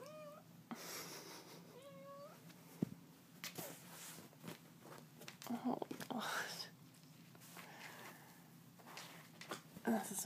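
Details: Pet cat wanting to play fetch during a morning routine, giving two short curved meows a second apart, followed by a person talking, rustling and handling noises indoors.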